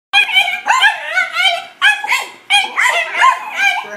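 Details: Two male dachshunds, one red and one black-and-white piebald, barking at an unfamiliar new golf club that intimidates them: high, yelping barks with rising-falling tone, delivered in three quick runs of several barks each.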